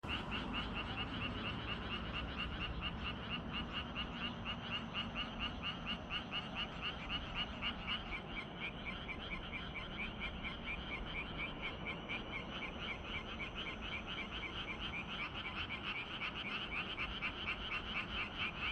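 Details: Frog chorus on an evening of 25 June in Gyeongju, South Korea: dense, continuous pulsed croaking from many frogs, rapid rattling notes repeating about twice a second, steady over a low background hum.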